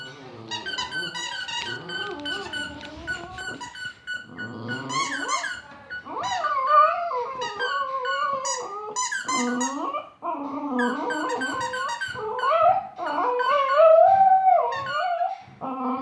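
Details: A Border Terrier playing with a squeaker toy sings in wavering, rising and falling howls, broken by high squeaks.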